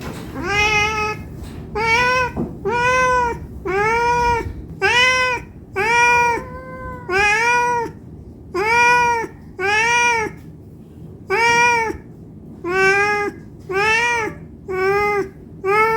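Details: Steady run of about fifteen meows from a hungry cat begging for food, each call arched in pitch and under a second long, repeated roughly once a second with brief quiet gaps between them.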